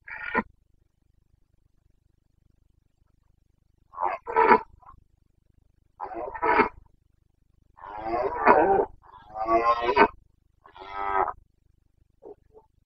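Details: Rutting Carpathian stag, a red deer of the Bucovina mountains in Romania, roaring in breeding season on 29 September 2022: a brief opening bellow, then a run of hoarse, rasping roars that swell into longer, louder bursts near the end.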